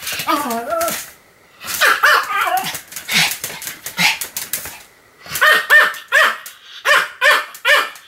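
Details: Pomeranian named Sam barking continuously, recorded 7 October 2015: high, sharp barks in bursts with short whiny, wavering yelps early on, a pause near one second, then evenly spaced yaps toward the end.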